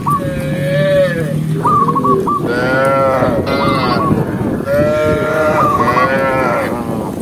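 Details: Large herd of tame cows walking together across open countryside in daylight; drawn-out harmonic moos rise and fall, overlapping, with repeated short hooked calls between them and a steady rumble of movement beneath.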